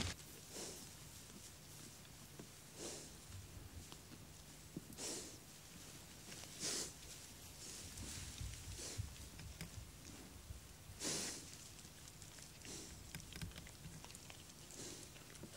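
A wild boar gives short, breathy snorts every two seconds or so, a sow's sign of annoyance.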